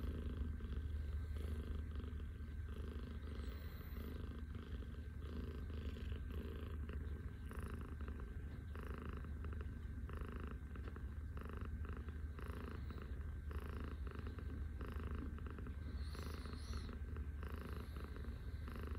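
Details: Scottish Fold cat in the morning, lying on its owner's arm as a pillow; a soft, steady, low rumbling purr continues without a break, with rhythmic pulsing and faint background hum.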